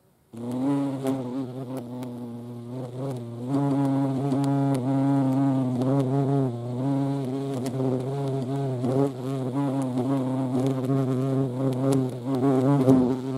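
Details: At a feeding place, a European hornet (Vespa crabro) hums with a low, continuous buzzing drone that starts abruptly, then wobbles in pitch and loudness, punctuated by soft clicking sounds.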